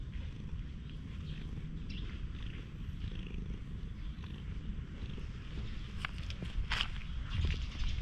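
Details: Low, continuous purring from a stray cat under a cat brush, the rumble holding steady while brisk scratchy strokes grow louder toward the end.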